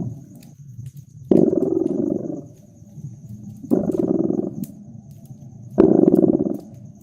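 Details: Cat purring beside a crackling fire in a wintry, cozy room: three strong vibrating purr bursts spaced about two and a half seconds apart, quieter purring between them, with crisp fire crackles and a faint high hum.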